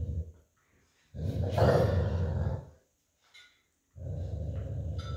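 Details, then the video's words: An old Golden Retriever lying on a cool tile floor after a walk growls while playing tug-of-war with an American Akita puppy over a plush toy; long, low rumbling growls lasting over a second each, separated by short pauses. "Lazy Old Golden Retriever Playing Tug of War With American Akita Puppy Over Plush Toy & Growling"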